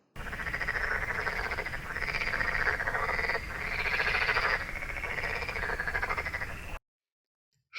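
Frogs croak together in a dense, rattling chorus of rapid, overlapping pulses.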